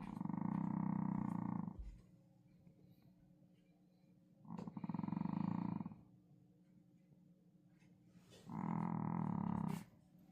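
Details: Sleeping pet dog snoring in a small room. Three drawn-out, noisy snores with a deep, rough tone come about every four seconds, separated by soft, quiet breathing.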